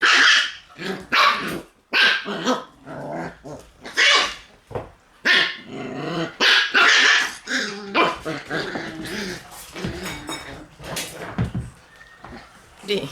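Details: Several Shiba Inu puppies in a crowded puppy room, recorded on 1 September, barking in a busy overlapping chorus of sharp yaps, with growls and whines between bursts.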